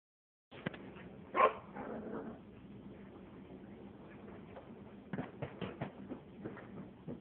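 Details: Four-month-old female Maltese puppy playing with a new octopus toy and barking at a person indoors: one sharp, high bark early on, followed by quieter thumps, clicks and rustling of play.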